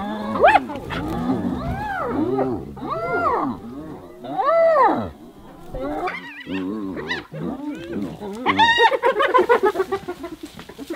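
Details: Several hyenas attacking one of their own: loud arched squeals and whining yelps in bursts, each swooping up then down, separated by short pauses, ending in a rapid run of high cackling cries.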